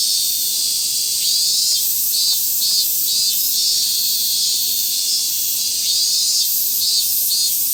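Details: A dense chorus of mainly Minmin cicadas in a summer forest, a shrill continuous buzz with pulsing, repeated rises and falls.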